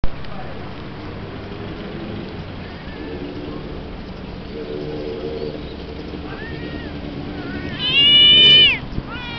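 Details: A new kitten visiting a yellow cat's territory: a soft arched meow partway through, then a loud, drawn-out meow that rises and falls, rich in harmonics, near the end, over a steady low background hum.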